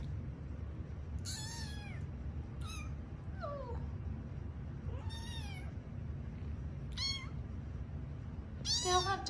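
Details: Sleepy kittens at bedtime, five rescued from an office building, each meowing differently: high arched mews and one lower sliding call, six or so calls in quick succession, with faint room hum.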